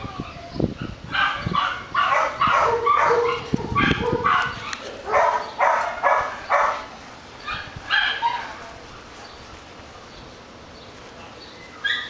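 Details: Pet dog barking in quick volleys, around a dozen bright yelping barks over eight seconds with a brief pause midway, then near silence with faint room noise.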